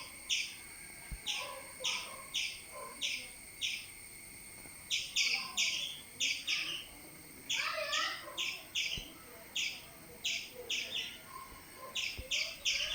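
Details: A squirrel gives sharp, high chirps about twice a second in a steady run while a cat climbs a tree after it.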